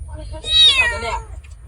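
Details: Injured, starving stray kitten crying helplessly in a field, the cries that led a couple to find it; one loud, high, drawn-out meow rising then falling, with rich harmonics, over a low background hum.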